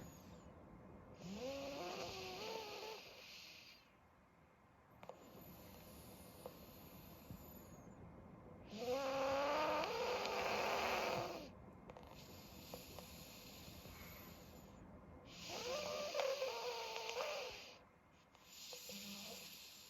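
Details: Meat, a 12-year-old black pug with his tongue out, sleeping alone and snoring loudly through a blocked nose: long rasping, wavering snores return roughly every seven seconds, with quiet breathing pauses between them.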